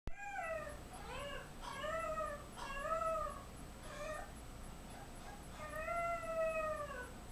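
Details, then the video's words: Seven-week-old French Bulldog puppy Lou, who screamed all night and panics whenever his owner leaves his line of sight, giving a string of arched, whining cries about once a second, each rising then falling, with soft gaps between. "Cry baby Frenchie 7wks old"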